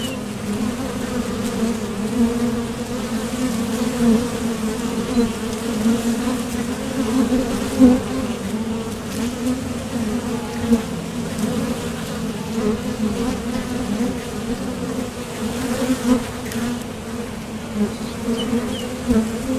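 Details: Honeybees at a top bar hive entrance, departing and landing during nectar foraging, make a dense, even hum throughout, with small surges as single bees pass near.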